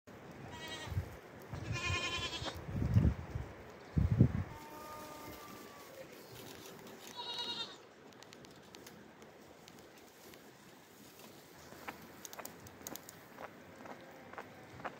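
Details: Young goat kids bleating: a few short, nasal, wavering cries in the first seven seconds over low rumbling handling noise, then a long quiet stretch with faint clicks.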